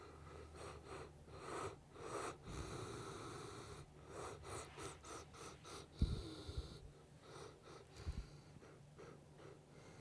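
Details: Riki, a sleeping Saint Bernard, snoring loudly, recorded with a DJI Osmo Action 5 Pro and DJI Mic 3. Deep rumbling rhythmic snores and wheezy breaths come in quick pulses, with a few sharper snorts midway.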